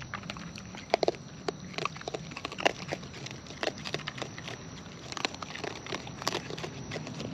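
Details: Close-up of wild raccoons eating, with scattered crisp crunches and clicky mouth sounds, a few louder snaps near the start and middle, against low rumbling background noise.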